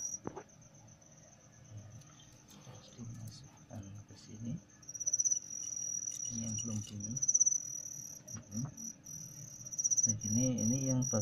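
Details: Captive male crickets, stimulated by a female put in with them, keep up a long high ringing trill with louder pulsed surges, while a man talks now and then and small rustling clicks occur.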